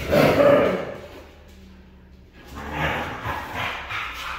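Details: Red female Siberian husky giving a short, loud, harsh vocal burst with a tonal ring in the first second, followed by a quiet gap and then softer, noisy, breathy sounds.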